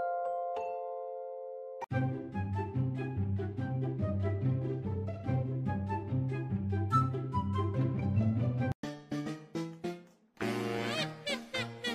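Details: Playful tinkling background music with xylophone-like notes and no animal sound.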